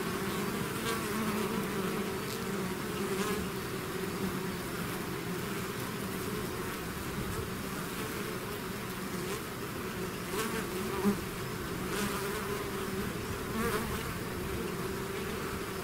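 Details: Swarming bees leaving their hive make a continuous thick drone, many wingbeats blending into low and mid humming bands, with a few faint clicks and brief high flickers overhead.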